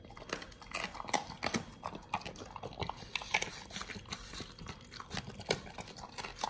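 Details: Pit Bulls eating a raw BARF meal of frog legs, soft shell crab and duck feet: sharp crunching and wet bites repeat in quick irregular bursts, with no barking or other voices.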